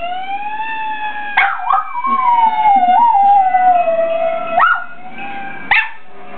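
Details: Rusty the dog sings a sustained, gently descending howl, cut three times by abrupt high yips that leap upward and drop back, with a pause before the last one.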